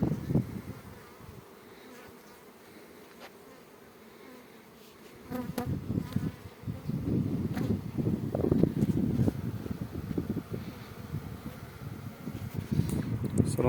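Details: Honey bees buzzing at an apiary of 50 hives set in two rows. A quiet opening gives way to a loud, thick, continuous low buzz from the swarming bees, with scattered ticks and clicks over it.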